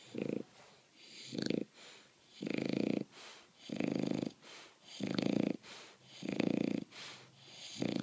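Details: A bulldog sleeps off a visit to the dog park with heavy, rumbling snores. Each coarse inhale lasts about half a second, and they come in a steady rhythm of roughly one per second with quiet gaps between.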